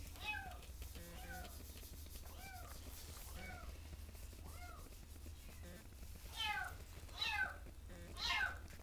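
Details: Shelter cats meowing: short, arched, whining meows repeated about once a second, fainter at first, then louder and shriller toward the end, over a steady low hum.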